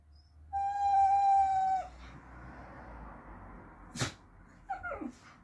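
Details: Whippet named Sky, having a crazy moment while a second dog, Penny, relaxes and looks on, gives one steady, sustained howl of about a second and a half. A sharp click follows, then a brief falling whine near the end.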